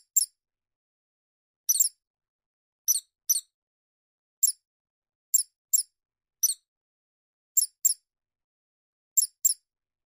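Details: Shrew call: sharp, very high squeaks, often paired, repeated roughly every second or so through a quiet background with nothing else audible.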